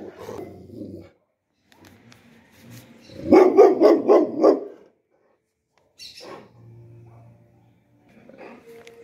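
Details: Dog barking from a compilation of various breeds: a quick run of five or six loud barks in the middle, with quieter grumbling sounds before and after and a low steady hum.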